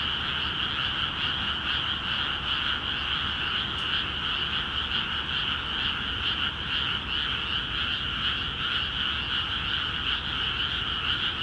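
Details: Rice paddies in Akiha Ward freshly flooded, with frogs calling busily; dense overlapping croaks form a constant buzzing chorus that throbs gently in rhythm, one brief click near four seconds, low background hum.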